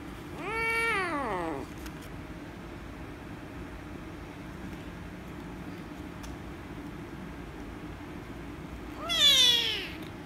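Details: Rescue kitten, angry and meowing loudly while being petted, gives a drawn-out falling meow, then after a long quiet gap with faint room hum a second, shorter and louder strained meow.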